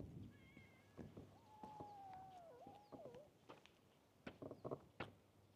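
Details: Young cat at a fishing port, interested in the camera but still somewhat fearful, utters a sustained meow that dips and wavers at its end, preceded by a brief high mew, followed by tapping and handling noises.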